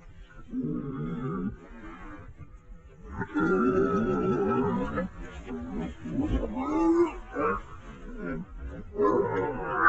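Wild boars fighting, with harsh squeals and rough grunts that swell into loud, raspy bursts.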